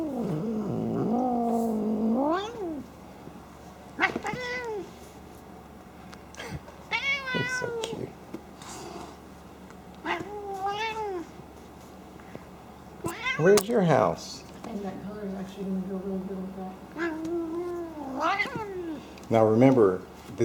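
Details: Indoor domestic cat, a female who snorts like a pig while happily playing. A long series of roughly a dozen nasal, wavering, moan-like cries, some rising and some falling, at irregular intervals, and faint room noise between them.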